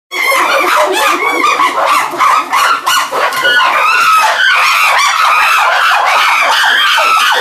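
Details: Chimpanzees of the medium-sized group at the CCC leaving through a tunnel into their enclosure, with cries of joy and excitement: a dense, loud chorus of overlapping shrill screams and hoots, continuous without pause.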